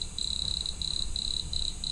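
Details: Wood cricket song, played back, same pitch as the house cricket but with a much faster syllable rate: high, thin, buzzing trills at a steady pitch in bursts of about half a second, separated by brief gaps, over a faint low hum.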